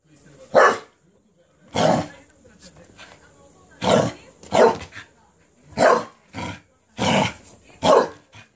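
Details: Cardigan Welsh Corgi, worked up after being given a cabbage core, going wild and rampaging: seven sharp, harsh barks spaced irregularly over about eight seconds, with softer murmuring sounds between bursts.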